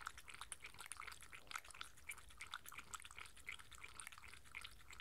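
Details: Mindy, a six-year-old female Shetland Sheepdog, lapping water at her daily dinner indoors, rapid wet clicking laps and drips repeating several times a second, with no talking.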